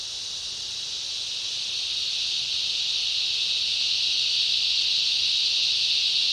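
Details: Cicada chorus with other insects in a summer rainforest: a dense, continuous high-pitched buzzing that swells gently louder over the first seconds, then holds steady with no breaks.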